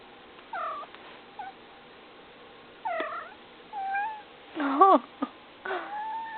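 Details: Pet cat vocalising: a string of six short, nasal meows spaced irregularly, some with a rising-falling bend, the loudest a strained, wailing cry near the end, in a quiet room.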